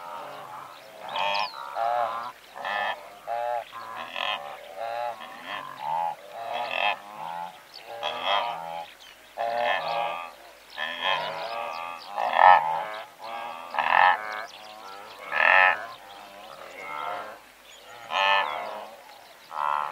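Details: Several hundred blue wildebeest calling together from medium close range, a dense chorus of short buzzy honks and grunts overlapping continuously, some louder nearby calls rising above the herd over twenty seconds.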